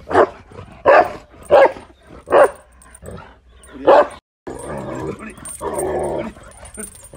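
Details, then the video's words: Tibetan Mastiff in India barking in loud, spaced single woofs roughly every second for four seconds, followed by a stretch of muffled rumbling noise and a faint voice. "Tibetan mastiff // world dangerous dog in india"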